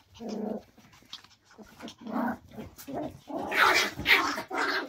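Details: Several Cairn terriers at evening play give a run of short, harsh barks mixed with throaty growling grumbles.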